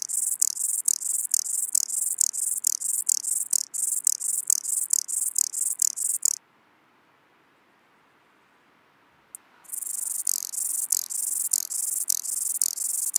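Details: Ladder grasshopper (Stauroderus scalaris) singing in Muhrtal, Austria, on 9 October 2020: a fast run of short, hissing high-pitched buzzes, about two per second, broken by a few seconds of silence before the buzzing series resumes.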